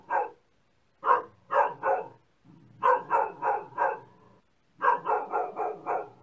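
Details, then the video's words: Short sequence of a dog barking: one bark, a pause, then clusters of three to five loud barks in quick succession. "Dog Barking Sound"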